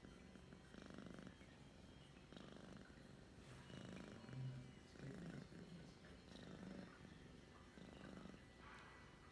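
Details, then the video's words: Pet cat purring indoors on December 11, 2021, around 2:10 in the afternoon: a steady low rumbling purr that swells and fades in breath-length cycles about every one and a half seconds, close and continuous with no other notable sounds. "my cat purrs"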